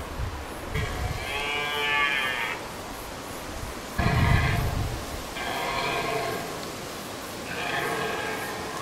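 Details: Red deer stag alone in rutting season, Hiiumaa, 2019, voicing his solitude loudly; four long harmonic wails come about every two seconds, with low rumbles and thuds beneath them.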